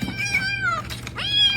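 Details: Domestic cat meowing indoors: two drawn-out harmonic meows, the first long and gently falling, the second rising then level, with a faint low hum underneath.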